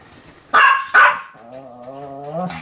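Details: Pomeranian called Sam barking continuously: two loud, high, sharp barks followed by a drawn-out, steady whining tone that rises slightly before fading.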